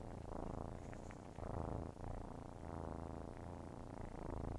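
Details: Steady rumbling purr of nursing kittens, pulsing with inhale and exhale cycles, with a few soft clicks and suckling smacks layered over it.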